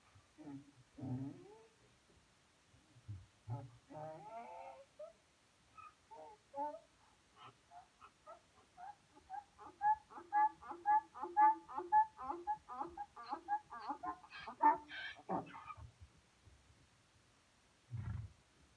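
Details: A donkey brays. It starts with low grunts and wheezy intakes, then builds into a long rhythmic run of alternating high and low hee-haw notes, about two each second. A final low snort closes the bray.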